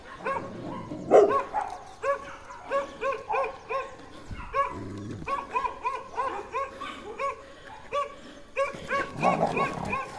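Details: Two large dogs defending their territory bark at a leashed German Shepherd on a walk, held still by its owner, in rapid repeated bursts with a few harsher, louder barks, trying to intimidate it.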